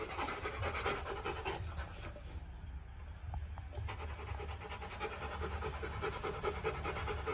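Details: Panting from Rottweiler puppies Bruno and Dora, kept in a kennel: rapid rhythmic breathy huffs, a short pause midway, then the run of panting resumes above a constant low background drone.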